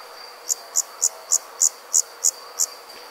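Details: Insects calling at night in summer countryside; eight crisp, high-pitched chirps repeated at a steady pace of about three per second above a continuous faint whine and low hiss.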